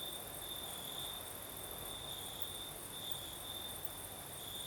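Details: Crickets singing at night in the south of Crimea, with a night breeze: a steady, continuous high chirring trill holding one pitch throughout, plus fainter shimmering insect sound higher up and a soft background hiss of wind.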